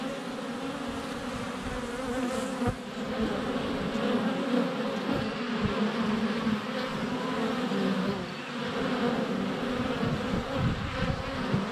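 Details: Honey bees constantly flying around a GoPro placed under a foot from the hive entrance on a sunny February day; sustained droning buzz swelling and easing, with a few clicks of bees landing on the camera.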